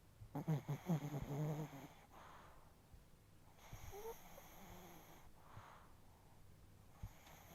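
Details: Chihuahua in deep sleep, nose twitching, snoring heavily: a quick run of low, buzzy, rattling snores in the first two seconds, then quieter breathy exhales.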